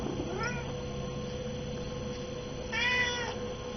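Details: Hungry house cat at noon, around a chicken meal, giving a faint short meow, then a louder, longer harmonic-rich meow near the end, with a steady low hum underneath.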